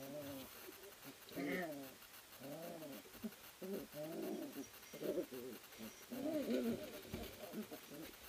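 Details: Playing three-week-old puppies, an Ari X Grace litter at a sled dog kennel, tussle in their whelping house, giving a run of harmonic whiny yelps and grumbles, some rising and falling, over quiet background hiss.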